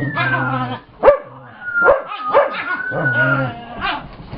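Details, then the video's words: Brittany the dog growling in play as she chases Chase, Gypsy joining in and Scotty grumpy; low droning growls alternate with sharp yips and a long sliding whine, a voice briefly audible. "Brittany's new growl, she chases Chase, Gypsy joins in, Scotty's grumpy"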